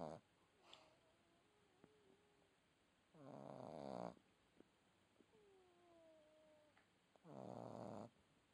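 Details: A red Boston Terrier puppy snores: two harsh, raspy inhalation snores roughly four seconds apart, separated by soft, thin nasal whistles that glide downward, in a quiet room.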